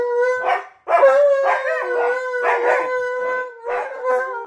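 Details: Pet dogs sing along to "You Are My Sunshine" sung by their owner; a steady held howl, a sharp restart, then a slowly falling tone, mixed with rhythmic bursts of human singing.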